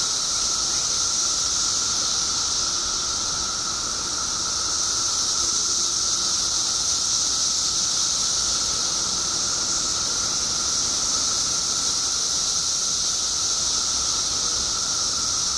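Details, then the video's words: A chorus of periodical cicadas in Illinois, emerged by the billions after 17 years underground: a relentless high, hissing whine holding steady, dipping slightly in loudness briefly before swelling back, with a thinner lower tone underneath. "Billions of Periodical Cicadas Emerge After 17 Years Underground Cicadas Making Noise Illinois State"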